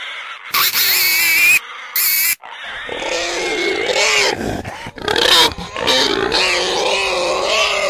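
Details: Pig squealing in loud, shrill, harmonic bursts, two short clipped outbursts followed by a longer run of wavering high squeals and screams.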